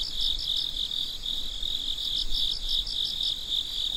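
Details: Midnight crickets call in a continuous high-pitched ringing trill, with rapid pulsed chirps repeating several times a second above it and faint low background noise.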